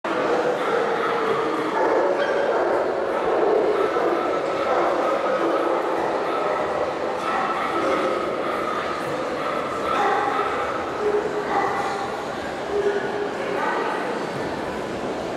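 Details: An adult female Labrador Retriever, a show dog, gives quick, repeated barks and yips, with human voices mixed in.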